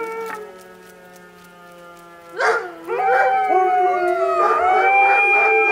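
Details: Alaskan Malamutes howling alongside sirens on 12 October 2014: a steady tone at first, then several dogs break into rising, wavering howls from the middle onward, overlapping into a loud sustained chorus.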